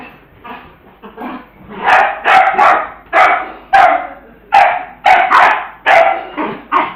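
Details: Pet dog playing with a ball, acting silly: a run of short, sharp barks in irregular bursts, roughly one to two per second, loudest in the second half, with a few softer yips between them.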